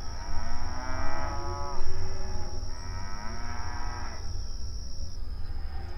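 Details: Open range cattle grazing on outdoor pasture, mooing and communicating with each other: two long harmonic moos, each about a second, rising then falling, over steady low rumble and a constant high electronic whine.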